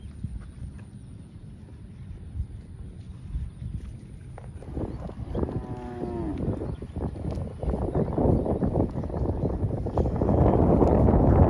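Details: Cow grazing in a field gives a single low, droning moo about one second long midway through, amid steady rustling and crunching of grass that grows louder toward the end.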